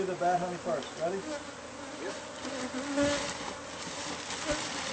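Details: Bees from a hive hidden inside the walls of a newly bought house, recorded during removal: a steady low droning hum with layered tones. Brief human voices rise over the buzz early on.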